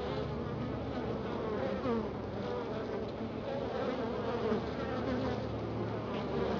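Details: Honey bees in a Florida hive following a week of cold weather, a dense, loud buzzing that sits over a rumbling background and carries wavering higher tones throughout.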